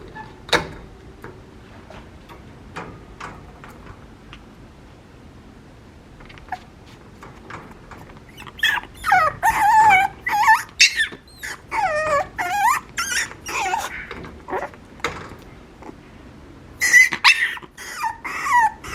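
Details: Papillon puppy whining and yelping, high wavering squeals with looping rising and falling pitch in bursts from about eight seconds on, after scattered faint clicks and taps.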